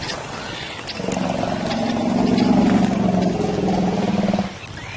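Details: Lion roaring in another lion's territory, an act described as the ultimate insult to the resident male. A deep, rough, pulsing tone swells and holds for about three and a half seconds before cutting off.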